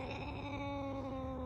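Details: Pet cat named Penny giving a steady, sustained meow with a flat tone and strong layered harmonics, held evenly for over a second while indoors with people close by.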